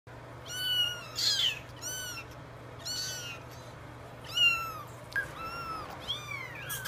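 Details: Hungry bottle-fed foster kittens, about three to four weeks old, in a tub wanting to be fed: a series of high, thin, arching meows, roughly one every second, with a steady low hum beneath.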